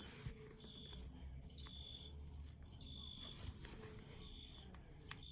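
A field cricket gives high, pure, shrill chirps in short repeated bursts over a low background rumble.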